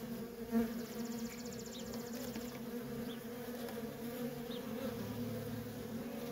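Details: Worker honey bees in nonstop traffic at a feral colony, a dense steady hum banded low and midrange throughout, with a brief higher whine near the start and a few faint chirps above.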